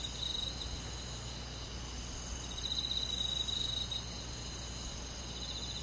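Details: Crickets and other insects on a summer night in a forest; a dense, steady, high-pitched shimmering drone with a brighter pulsed trill that swells from about 2.5 to 4 seconds, over faint low background hum.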